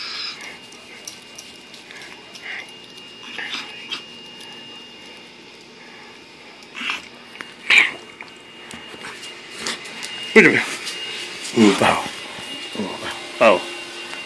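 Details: Bravo, a Bulldog, playing indoors in a small room on 8/20/13: after a quiet stretch come short, rough grunts and sharp yelp-like bursts, bunched toward the end, with faint rustling and handling noise between them.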